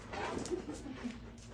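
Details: Pet husky at home making noises, a brief soft whimpering sound with short tonal wavering notes over about a second and a half, against low background room noise.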